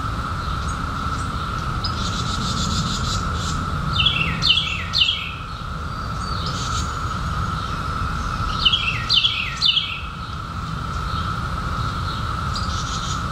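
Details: Periodical cicadas in 2021, newly emerged after 17 years underground, hold a steady, unbroken high whine through the whole recording, while birds add bursts of bright, falling chirps around the fourth and ninth seconds.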